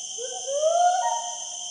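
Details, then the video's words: White-bearded gibbon (Kelawet) double call from an adult female and a juvenile female in Danau Sembuluh forest, Central Borneo: a rising, swooping hooted note lasting about a second over steady high insect drone. "Double Call of Hylobates albibarbis"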